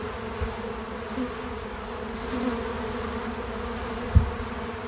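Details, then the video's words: Feeder visited by bees, their real buzzing left unaltered: constant low hum with stacked harmonic bands, small swells in loudness, and one sharp low thud near the end. "Bees in Slow Motion at the Feeder 🐝 | Natural Buzzing Sounds"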